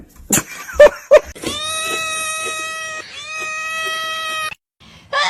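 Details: Pet cat meowing indoors: one long drawn-out harmonic meow lasting about three seconds, breaking briefly midway, preceded by sharp clicks and knocks, with a person speaking afterward.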